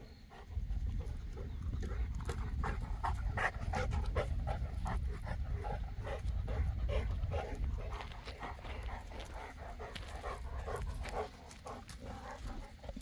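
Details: Boerboel, a South African Mastiff living in Egypt, panting in fast breathy huffs, about three each second, steady for roughly eleven seconds over a low rumbling background before fading near the end.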